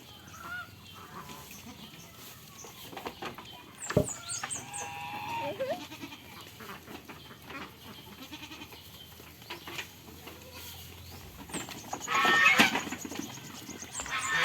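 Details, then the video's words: Goats on a farm while playing and eating. A wavering, harmonic bleat rises midway, then a louder burst near the end, with high chirping from birds or poultry and rustling, clattering farmyard noise throughout. "FUNNY GOAT SOUNDS PLAYING AND WHILE EATING ON THE FARM"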